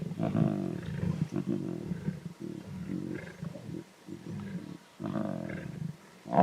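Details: Wild lion cubs in the Timbavati snarling and growling at each other while competing over an adult zebra carcass; deep, rough growls in repeated bursts of about a second, separated by short quiet gaps.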